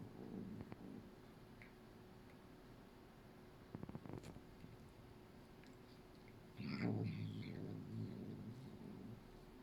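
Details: Norwegian Forest Cat grumbling while grooming a female Bengal cat for the first time. A low, throaty, purr-like rumble opens the recording, is followed by faint clicks, and then a louder, rougher grumble lasts about three seconds.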